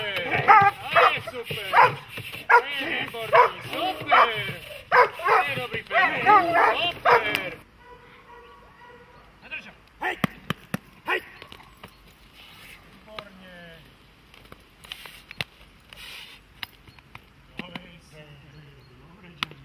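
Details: Dogs such as German Shepherds and Malinois in protection training, barking rapidly and harshly for the first seven seconds, then quieter scattered sounds with clicks and faint voices.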